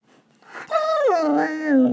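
A Belgian Malinois puppy gives a drawn-out, tuneful howl that slides down in pitch.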